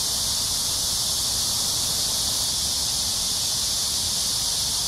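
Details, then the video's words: Summer cicada chorus during an early-evening riverside walk through Amsa Ecological Park, Seoul, South Korea, July 26, 2021: an unbroken, loud, shrill buzzing wall of sound with a soft low background hum. "Cicada sounds/매미소리"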